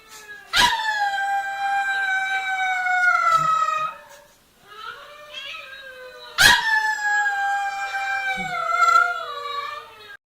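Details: Domestic dog howling: two long, sustained, tonal howls, each opening with a sharp yelp, then holding a steady pitch and sagging slightly lower over about three seconds, with a short quiet gap between them.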